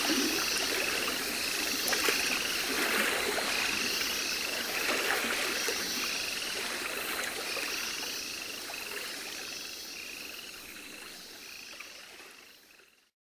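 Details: Baron's mantella, captive at Parc Zoologique de Paris in September 2014, a species from Madagascar. Short, high, clicking chirps come in a rapid, steady series over a constant broad hiss of background noise.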